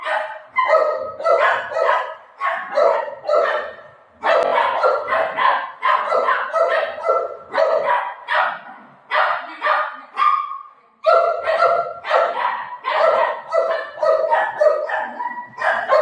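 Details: Excited, rapid barking from Buzo the Golden Retriever during play with its owner at home. Dense volleys of sharp barks come in quick bursts, broken by brief pauses near the middle and again toward the end.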